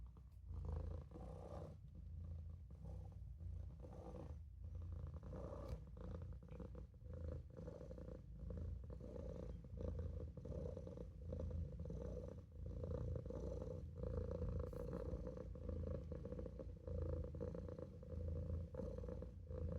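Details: Maine Coon kitten named Olof purring while napping in a sink indoors; steady low rumbling purr with rhythmic pulses, continuous through the recording, brief rustles over it.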